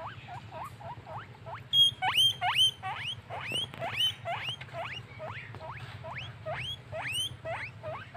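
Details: Furry pet guinea pig in a happy mood, starting with soft short squeaks that build into loud rising wheeks with high hooked ends, repeated over two per second above a low hum.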